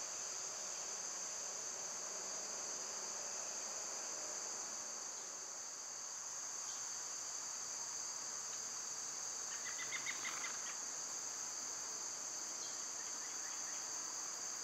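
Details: Cicadas heard in summer make a sustained shrill hiss with no pauses; around the middle a bird gives a brief cluster of quick, stacked chirping notes before the drone carries on alone.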